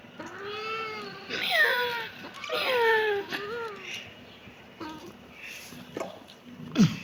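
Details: Kitten meowing: one steady meow, then several sharper meows that slide downward. The calls become fainter and shorter after about three seconds, followed by quiet background noise.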